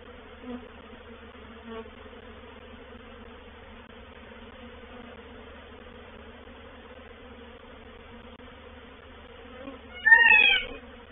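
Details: Honey bees of a reproductive swarm moving into a bait hive, or swarm trap, at Painted Peacock Manor on 04/07/21; a faint, steady low buzz hums throughout, with a brief louder chirping burst near the end.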